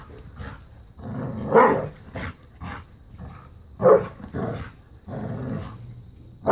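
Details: A new puppy plays keep away and tug of war with Bella, a five-year-old black lab pitbull; short growling bursts mix with a few sharp barks, uneven in spacing, over rustling play sounds.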